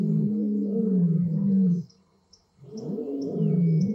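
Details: Roaring of Marataba male lions and lionesses at Blue Canyon Private Game Reserve, with young sons learning to roar: two long, deep, rumbling roars separated by a short pause, with faint high chirps behind.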